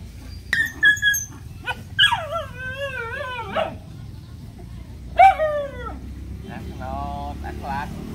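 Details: Puppies and a dog at play with a person, giving high whining yelps with sliding, wavering pitch in several short bursts, one long drawn-out whine, then a softer rapid quavering whimper; a person talks in the background.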